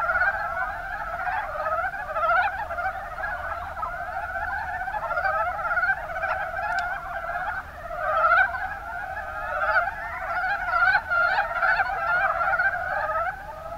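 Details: Mountain brown frogs calling in the Kuma basin, Kumamoto, Japan: a dense, continuous chorus of overlapping rattling croaks, many animals at once, layered in steady waves without pause.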